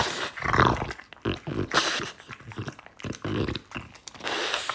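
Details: Indoor French Bulldog eating from a choice of bread, apple and beef, giving rough snorting and chewing bursts that come in uneven clusters about every half second, breathy and noisy throughout.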